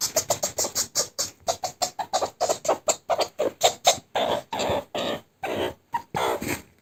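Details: A male pet meerkat gives rapid, rhythmic chattering chirps, then longer rasping squeals, while being tickled and trying to push the hand away.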